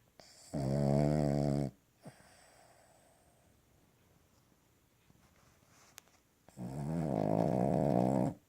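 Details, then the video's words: Sleeping Cavalier King Charles Spaniel snoring on a lap indoors: two loud, rasping, deep snores, each lasting over a second, about six seconds apart, with near silence between them. "Cavalier King Charles Spaniel Snoring on My Lap"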